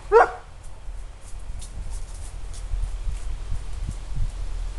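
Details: A 4-year-old female Kuvasz gives a single deep, loud territorial warning bark at a familiar traction engine outside, teaching an 8-month-old male to guard; low rumbling in the background, sound from the woods.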